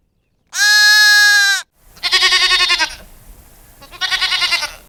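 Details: Sheep bleating: a steady, flat-pitched drawn tone, then two wavering, tremulous bleats about two seconds apart.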